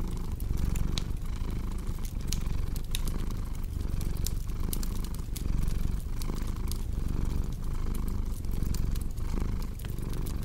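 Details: Cat purr as a continuous low throbbing rumble rising and falling with each breath, overlaid by frequent snapping crackles from a burning fireplace.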